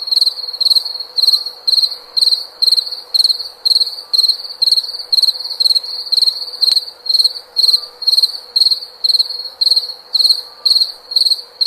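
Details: Cricket giving a steady run of shrill, high-pitched pulsed chirps, about two each second, clear and regular against a quiet background with a faint low hum.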